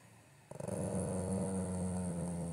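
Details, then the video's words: Golden Retriever at home voicing complaints to its owner with a long, low, steady growl that opens with a few rapid pulses and holds an even rumbling tone for two seconds. "Vrrrr.... Lucky Complaints to Mom"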